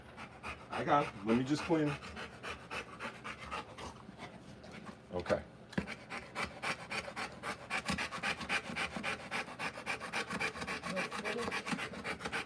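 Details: Rottweiler in labour, whelping a litter of puppies live. A few brief voiced sounds come first, then a run of fast, regular, rasping panting pulses that carries through the second half, with faint room noise underneath.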